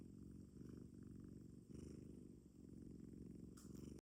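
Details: Short-legged Munchkin cat sound asleep in its owner's arms, purring so deeply it resembles snoring; a continuous low rumbling purr in pulsing phrases with brief breaths between, and a faint rustle near the end.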